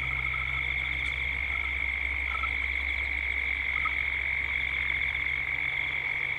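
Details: Cicadas calling at dusk in Gippsland, Australia, a constant shrill buzzing drone with a throbbing upper layer, a few short faint chirps in the middle, and a steady low hum beneath.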